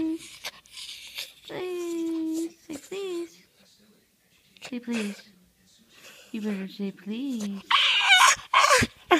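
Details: Hungry puppy crying indoors because it was not fed on time: a long, steady, drawn-out whine, then shorter wavering yelps that rise and fall, with a person's voice and handling noises in between.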